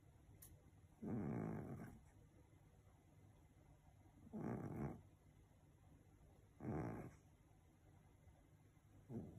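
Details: Pet cat snoring softly: a breathy, rasping snore about every two to three seconds, with quiet pauses between breaths and a faint steady background hum.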